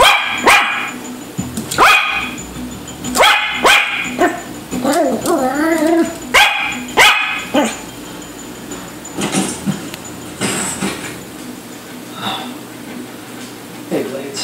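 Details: Yorkshire terrier pup chasing fish barks in rapid high-pitched bursts, several yaps in quick runs with a whiny wavering note midway, tapering to sparse yips near the end.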